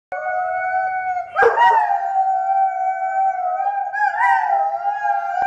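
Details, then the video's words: A Dobermann "singing": a long, steady, tonal howl held for several seconds, with a brief rough break early on and a slight rise in pitch near the end. "Singing Doberman"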